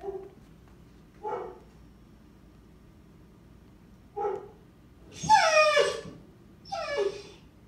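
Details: Male Rottweiler of about 90 pounds that struggles with arousal and cannot relax. Three short nasal whimpers are spaced a few seconds apart, followed by two longer, higher whines with rising and falling pitch.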